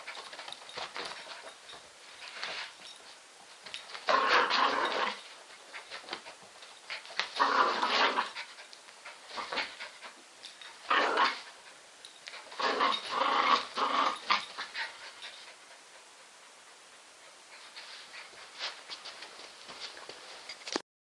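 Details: Spinning terrier Roxy lets out a series of harsh, grumbling vocal bursts in clusters, loudest around four, eight, eleven and thirteen seconds. Quieter rustling and breathy sounds trail off toward the end.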